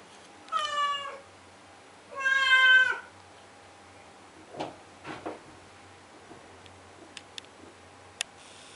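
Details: Henry, a blue point Siamese cat, cries indoors at 2am to get the door opened: two loud drawn-out meows, the second longer and wavering, followed by faint knocks and clicks from a basement under renovation.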